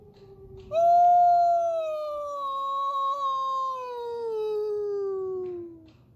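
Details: A single long, smooth wolf howl lasting about five seconds, starting with a sharp rise and then sliding slowly downward in pitch, over a quiet, faintly rumbling background.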